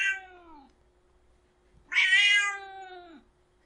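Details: Angry domestic cat with a falling meow, then after a short pause a louder, rough, drawn-out meow that dips at the end, over a faint steady hum.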